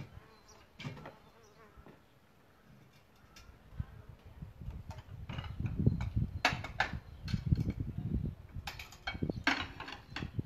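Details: Buzzing of solitary bees at their nest site in a bug hotel, a low droning hum that swells louder through the second half, broken by sharp knocking clicks and brief rattles.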